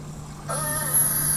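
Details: A beluga in Arctic waters gives a tonal, slightly wavering contact call, used only when isolated from the group and linking mothers and calves, answering another whale, over a low steady hum.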